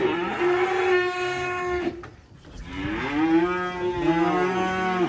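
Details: Black sacrificial cattle being unloaded from a truck in a rural area: two loud, drawn-out moos, the first steady, the second sagging then rising and holding, with rich harmonics and a short quiet gap between.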